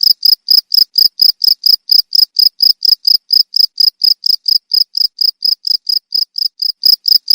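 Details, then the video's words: Cricket sound offered to scare off rats: a continuous run of short, piercing chirps, about four per second, strong and even, nothing else audible. "SUARA JANGKRIK PENGUSIR TIKUS"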